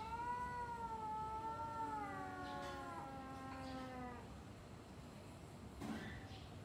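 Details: Pre-fight exchange between two domestic cats: a sustained, wavering harmonic yowl lasting about four seconds, slowly sliding down with a second lower voice joining, then quiet hiss and a brief thump.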